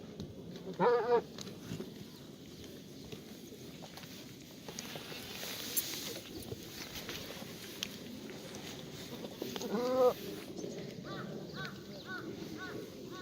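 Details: Black goats in the exercise yard of a farm in Gimhae, South Gyeongsang, Korea, on a sunny Monday morning, 1 April 2019; two loud, quavering bleats about nine seconds apart, fainter bleats near the end, over steady low farmyard rumble.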